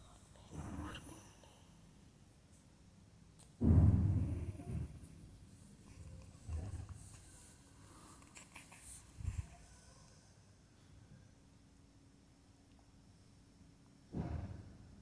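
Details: Sleeping pug snoring in low, rough breaths: a loud snort near four seconds, then softer grunting rumbles spaced a few seconds apart, and another burst at the end, with quiet pauses between.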